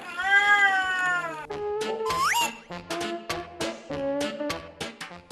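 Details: A 12-year-old house cat cries day and night for attention, a long, sustained, siren-like wail that arches slightly in pitch, then breaks into shorter, wavering meows, with light music faintly in the background.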